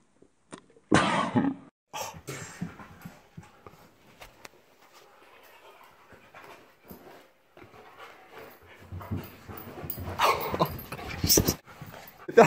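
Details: Play fight between Krypto, a Siberian Husky, and Ruger, a German Shepherd-Husky mix, over a dog bone inside the home: long quiet stretches between sudden loud scuffles, snarls and huffs, with a man cheering Krypto on.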